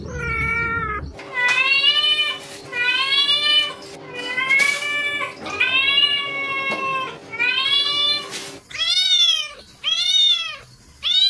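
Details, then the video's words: Cats meowing in a run of about nine meows, roughly one per second; early ones long and slightly wavering, final three shorter and arched, rising then falling, after a brief low noise at the start. "Cats Meow 10 Minutes of Cats Making Meow Sounds"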